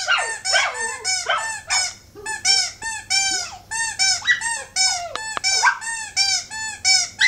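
A dog sings in a run of high, wavering whines and yelping howls, each note bending up and down.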